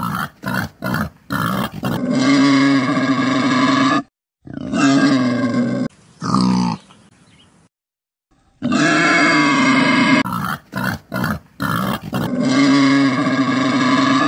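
Deep, harsh grunts from a wild boar come in short bursts, then stretch into long, rough growling calls. The sound stops for a moment midway before the gruff grunting starts again.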